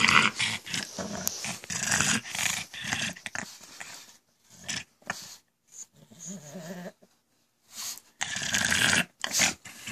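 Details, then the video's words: Indoor pug producing odd goblin-like sounds it makes constantly, heard as rough, hissy snorting grunts in choppy bursts separated by short silent gaps, a softer lower grumble partway through. "CRAZY GOBLIN PUG.. WORLDS WORST SOUNDING DOG.."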